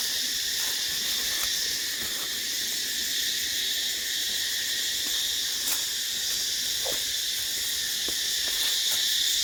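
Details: Numerous hidden cicadas around Ba Ho waterfalls outside Nha Trang, Vietnam, producing an unbroken shrill hum that stays level throughout, dotted with occasional faint ticks.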